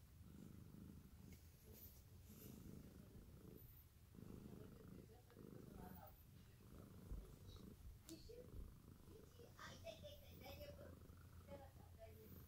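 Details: Sakura the cat purrs while sleeping on stolen freshly washed bed sheets: a continuous low pulsing hum with a few short pauses, overlaid by light fabric rustling and occasional soft clicks.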